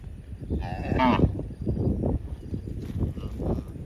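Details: Cows roaming the fields give deep, drawn-out moos, calling to their companions.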